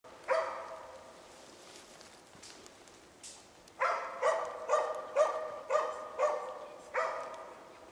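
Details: Moose-hunting dog Zakko in Sweden bay-barking at a moose cow and calf held at bay: one bark, a pause, then a run of six evenly spaced barks and a final bark, somewhat distant, over quiet outdoor background.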